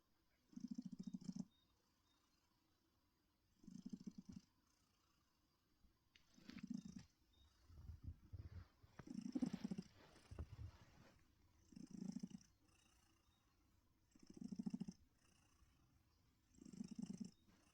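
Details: Steady purring from a friendly female pet cat born around 2016 and rescued from living in a bush, relaxing in her chair: low buzzy rumbles pulse in breath-paced bursts roughly every two to three seconds, some softer and deeper in the middle.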